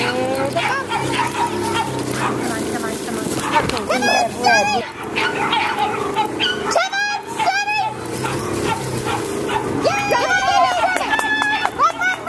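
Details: Yelping American hairless terriers at a UKC-sanctioned terrier race held January 7, 2012 by the Hurricane Alley American Hairless Terrier Association. Short clusters of shrill, rising-and-falling yelps recur every few seconds over steady crowd chatter.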